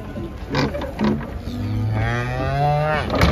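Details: Giant cattle being unloaded from a truck at Jelok market in Indonesia: a long, low, steady moo held for about a second and a half, with shouting men and background music around it.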